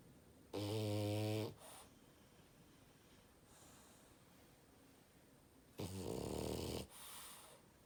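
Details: A French bulldog snores loudly indoors: a deep, vibrating, harmonic snore of about one second, a short exhale, a quiet pause, then another long rasping snore near the end.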